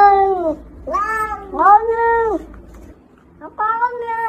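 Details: Domestic cat meowing in a funny cat compilation: four clear, drawn-out harmonic meows, each bending down in pitch at its end, with short pauses between them and a low hum under the first half.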